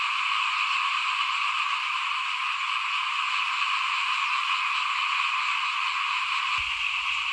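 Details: At rice sowing time in 2021, frogs call in front of a house, many together, making a steady, dense, high-pitched trilling that never lets up. Near the end there is a brief low thump.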